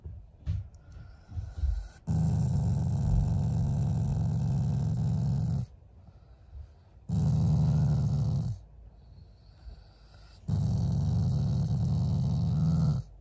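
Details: Affectionate growling from a pet Shiba Inu toward its owners, not angry: three long, low, rumbling growls of two to three and a half seconds each, separated by short quiet gaps, with a few soft knocks at the start.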